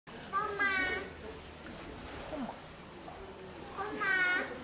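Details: A Steller sea lion pup born 2 July 2023, recorded 17 August 2023 at Marinepia Nihonkai aquarium, gives two bleating, harmonic calls a few seconds apart while people talk nearby.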